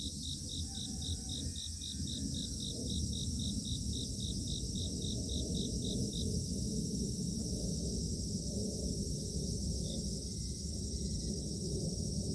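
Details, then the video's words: Dawn chorus of grass insects in a misty mountain village: a quick train of bright pulsed chirps runs for six seconds, then stops, while a continuous shrill shimmering drone carries on above a low rumbling background. "새벽 풀벌레 합창단"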